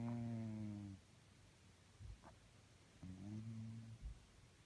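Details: Cat snoring while asleep indoors, a low buzzy humming breath lasting about a second, repeated after a pause of two seconds, the second one slightly falling in pitch, with soft breathy noise between.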